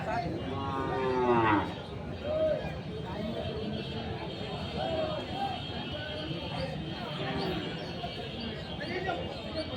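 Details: Local deshi-breed dairy cow at Ranibandar cattle market, Dinajpur, 30 May 2024, cows sold with calves: one loud, drawn-out moo, rising then falling, in the first two seconds, over steady crowd chatter and market bustle.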